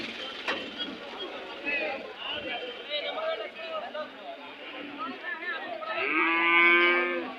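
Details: Cattle at the weekly Monday Kg Temple cattle fair in Gubbi taluk, Tumkur district, Karnataka, India. Near the end comes a loud, drawn-out harmonic moo. Before it, steady crowd chatter and bargaining voices fill the scene.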